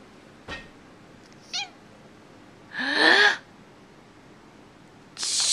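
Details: Domestic cat, unhappy about sneezing, gives a faint short mew, then a loud strained, grumbling cry, with a harsh burst of noise at the end.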